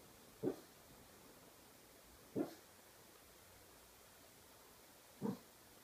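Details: A dreaming pug lets out three short, muffled yips while asleep, spaced two to three seconds apart against a quiet background.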